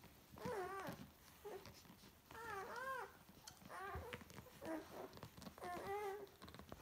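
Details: Irish Wolfhound puppies of Kate's Meadow, June's first litter of nine, while feeding: arched, harmonic whines rising then falling, about five whimpering cries in seven seconds, with soft clicks and rustling indoors between them.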